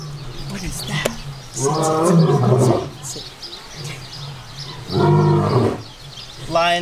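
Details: A lion at a zoo, putting on a show, gives two deep, rumbling roars about three seconds apart, with a man talking between them.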